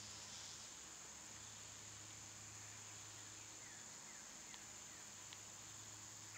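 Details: Summer cicadas, loud at this time of year, recorded outdoors among birds and squirrels: a steady, high, hissing drone runs unbroken throughout, while a bird adds short downslurred chirps in quick series near the four-second mark.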